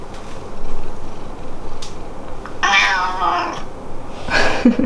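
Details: Pet cat inside a home, meowing differently to the parents than to the daughter it adores; one fairly long, noisy meow followed by a short second meow, with faint household sounds and possible speech.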